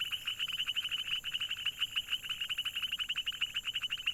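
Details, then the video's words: Frog croaks come as a fast, high, clicking trill, many short pulses packed closely together and continuing evenly from start to finish. "Funny Frog Sounds - Croaks, Ribbits, & Hilarious Frog Noises"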